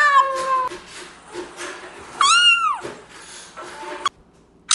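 A domestic cat gives several harmonic meows, one rising then falling sharply.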